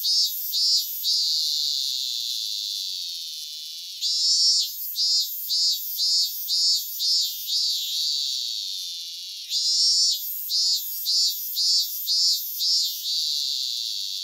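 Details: Cicada song recorded in Japan: a long buzzy drone that breaks into a series of rhythmic pulsing phrases, about seven beats each, with the whole sequence repeating twice, all high-pitched with nothing low.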